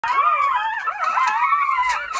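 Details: Nine two-day-old Jindo puppies beside their mother Sarang, who is caring for them. Loud, overlapping high whines waver and slide up and down in a continuous chorus, with several voices layered at once.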